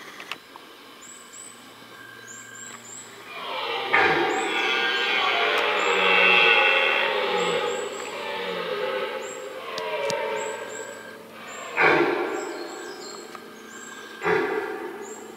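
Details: Red deer roaring during the rut, in the middle of a rutting ground; a long, powerful, deep harmonic roar swells and fades over several seconds between shorter grunts, with faint high chirps above.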